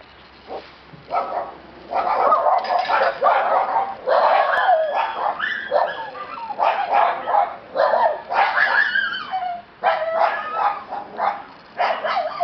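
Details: Black-coated female Shiba Inu puppy giving high, harmonic yips and whiny barks in rapid, uneven bursts, almost without pause for about ten seconds, with some rising and falling squeals between them. A quiet room with no other clear sounds.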